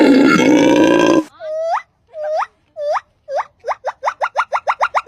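A monkey gives a run of rising, hooked calls that speed up into a rapid chatter.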